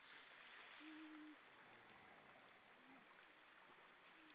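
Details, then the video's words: Grey seals on the rocks of Vilsandi, Estonia, on an October 2012 evening: one steady, level moaning note lasting about half a second, then fainter short rising calls, all under a strong steady rushing background. "Lots of seals on the rocks singing"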